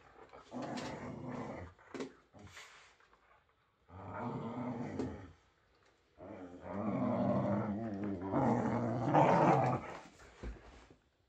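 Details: Playing whippets growl in three separate rumbling bouts of about two seconds each, the last one longer and louder, with brief quiet gaps and a few sharp snorts between them.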